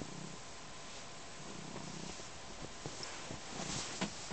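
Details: Pet cat purring as it kneads and drools on a blanket; a faint, low continuous rumble under scattered soft clicks and rustling from the kneading.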